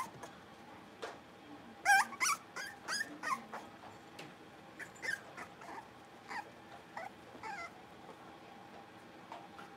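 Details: Young blenheim Cavalier King Charles Spaniels, five littermates at play in their pen at home; a cluster of rapid squeaky yips and small barks around two to four seconds, then sparser high yelps trailing off.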